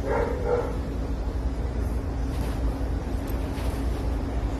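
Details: Two quick, soft barks open the recording as Java, a frightened female Boston Terrier puppy, takes her first trip into a pet store; a constant low store hum fills the rest.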